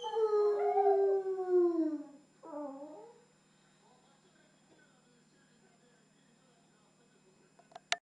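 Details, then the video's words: German Shepherd letting out one long, slowly falling howl, then a shorter wavering wail, after which the recording goes quiet apart from faint low hum and a sharp click at the very end. "Berger Allemand hurle"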